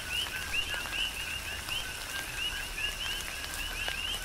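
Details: Chorus of coqui frogs recorded in a tropical rain shower on the Big Island, Hawaii; crisp rising whistled notes paired with lower tones repeat rapidly, roughly three per second, against patter of rain and dripping water.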